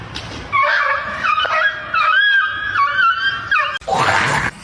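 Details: A domestic cat lets out loud, long, wavering yowls that rise and fall in pitch, several in a row with brief breaks. The sequence ends in a harsh, noisy burst.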